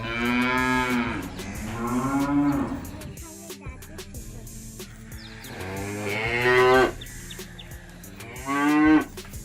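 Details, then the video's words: Cows from a village herd low repeatedly; drawn-out moos vary in pitch, some swinging upward at the end, with shorter calls breaking in between and a faint background hum. "Village Cows Sound Effect- Cow Mooing"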